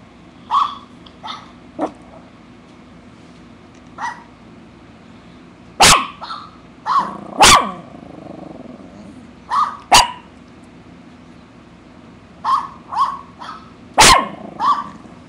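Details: Female poodle, eight years old, chewing imaginary gum and barking: repeated short high yaps, some single, some in quick pairs and triples, with a few loud sharp clicks or knocks among them.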